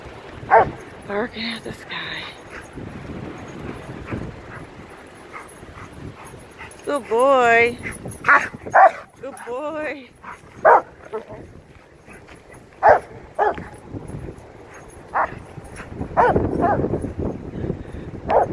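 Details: Macho, a Rottweiler out running at the park, barks at the sky: short sharp barks early on, then a drawn-out wavering whine, with a man's voice praising him throughout.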